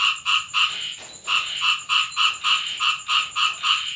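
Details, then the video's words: Frogs croaking at night in the rain around a Thai home; loud, evenly spaced nasal croaks, about three to four a second, follow a short gap, over a persistent high-pitched hum. "เสียงกบร้องตอนฝนตก Frog sound effects"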